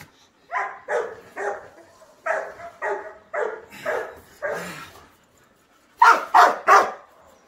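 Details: Belgian Malinois named Kaus during off-leash obedience training, giving sharp barks in quick runs of two and three, about eleven in all, with a short pause before a final louder burst of three.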